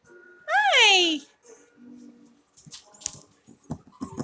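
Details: Havanese puppies from Chloe's litter playing together in an office give one loud, high, arching yelp that rises then falls, followed by scattered soft scuffles and clicks.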